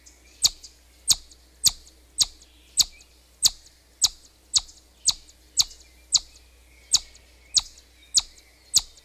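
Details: Repeated high chip-like whistles from a chipmunk, sixteen short piercing notes spaced roughly half a second apart, steady and insistent, with little else audible.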